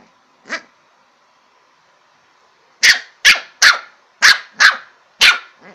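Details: Lhasa Apso puppy at play: one soft yap, a pause of two seconds, then a rapid run of six loud, sharp barks spaced roughly every half second.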